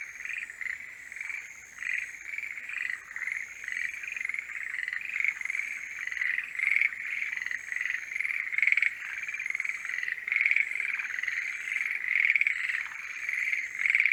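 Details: Mating-season chorus of forest green tree frogs: many overlapping rattling croaks in dense repeated bursts, growing louder through the recording, over a thin high continuous tone.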